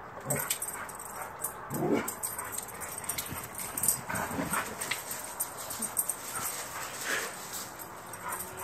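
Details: Gator and Luna, two pet dogs let out at midnight, wrestle and play; low grumbling growls and soft whines rise and fall irregularly against a hissy night background.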